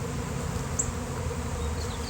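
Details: Swarm of thousands of honeybees appearing suddenly on a day of nice weather, before a beekeeper's rescue; steady low droning hum with wind-like rumble underneath, no voices.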